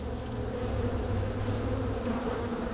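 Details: Honey bees from a crowded hive likely to swarm, opened in spring to be split; even, droning buzz with layered low tones, holding steady level.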